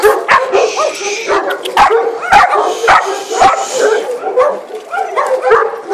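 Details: Three-month-old puppy named Thor squaring off against a Maremma sheepdog, a string of sharp barks and yips coming roughly twice a second, some of them overlapping, with whimpering sounds mixed in.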